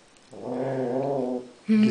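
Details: Young female Great Dane puppy, seven weeks old, in her new home, giving a steady low rumbling growl for about a second, followed by a brief higher yelp or voice.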